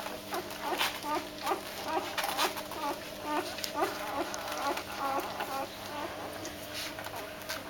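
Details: Doberman puppies being woken for feeding give a chorus of short high squeaky whines and yelps, many overlapping, repeated roughly twice a second, over a steady low hum.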